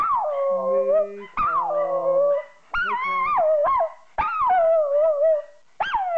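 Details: Female Jack Russell Terrier cross Yorkshire Terrier pet dog singing along while a person sings a tune. Long wavering howls slide down from high to middle pitch in about five one-second phrases, with a lower steady human voice and music underneath.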